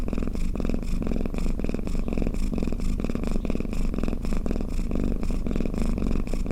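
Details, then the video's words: Domestic cat snoring, a steady low rumbling drone with fast pulsing texture and faint brighter bursts repeating through the whole stretch, no other sounds. "เสียงแมวคราง เสียงกรนของแมว | snoring cat"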